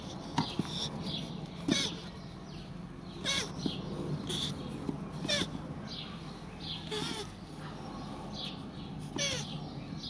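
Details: Mating land tortoises give short squeaky cries, each with a sharp click, roughly every two seconds against a low background rumble, with scattered high bird chirps around them.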